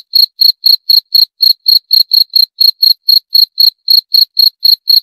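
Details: Cricket chirping steadily, a high clean pulsed chirp repeated about four times per second with no pauses, the only sound against a silent background.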